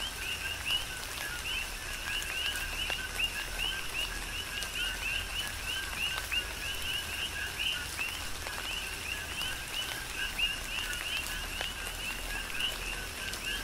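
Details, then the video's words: Tropical rain on Hawaii's Big Island with a chorus of many coqui frogs giving rapid, repeated rising chirps layered over one another, beneath a constant hiss of falling rain and scattered drips. "Tropical Rain & Coqui"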